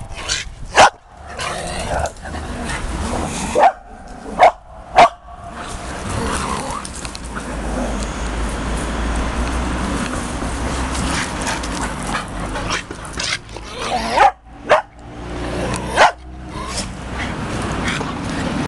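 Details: Old male dog up for adoption, with poor sight and hearing and a limp, giving short sharp barks: one near the start, a cluster of three around four to five seconds, then two more later, over steady background noise.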